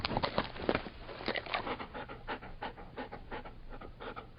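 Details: Labrador Retriever giving fast, breathy pants, strong at first, then a steady series of lighter rhythmic huffs.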